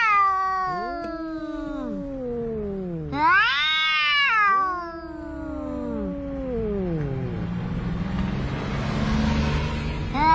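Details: Two cats, one of them orange, quarrelling at the seaside: long drawn-out wailing yowls that waver and slide downward, overlapping each other, with a sharp rising wail near the middle and a growing hiss of background noise toward the end.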